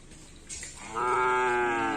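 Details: Bull being trained for karapan sapi bull racing at a field in Asemanis, giving a loud, steady, harmonic moo that starts abruptly and holds level for about a second over outdoor background noise.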